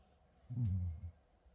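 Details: A sleeping female Labrador Retriever snores once: a low, rough, rumbling breath that lasts about half a second and swells then fades, in an otherwise quiet indoor room.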